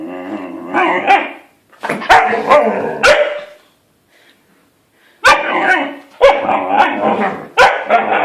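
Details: A Siberian Husky puppy yaps and yowls in chattering bursts, urging an unwilling adult dog to play.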